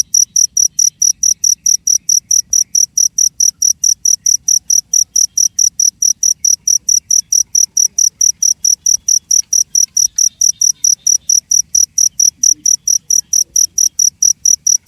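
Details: A cricket keeps up a rapid, regular series of piercing high chirps, about four a second, with faint low background noise.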